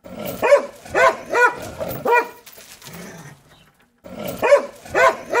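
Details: Domestic dog barking in a compilation of barking footage: short bursts in quick pairs and triples, a pause with faint low noise, then more sharp barks.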